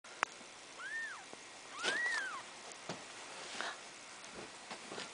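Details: A black cat giving birth to four kittens, here during the arrival of the second, black kitten. Two clear, arched, rising-then-falling tonal cries follow one another about a second apart over quiet background clicks and rustling.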